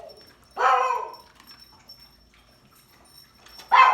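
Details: Pug giving strange, rough barking noises: one loud raspy bark that sags in pitch, a quiet pause, then another harsh bark starting, with a thin constant high tone behind.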